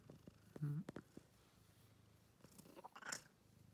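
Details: Scarf-wearing kitten giving a low continuous purr, with a brief squeaky burst early on and small rustling taps, ending in a noisy scuff.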